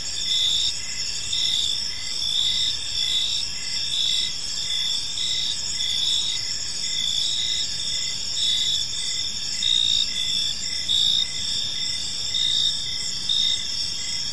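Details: Crickets chirping in a peaceful park as evening unfolds: steady high-pitched trilling bands layered together, with louder pulsed chirps swelling roughly every second over a faint low background hum.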